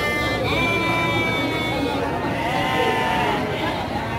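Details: A Garut sheep ewe at the Andir market, Garut, gives a long, steady, slightly falling bleat of about two seconds, with a fainter, higher bleat after it, amid continuous market voices.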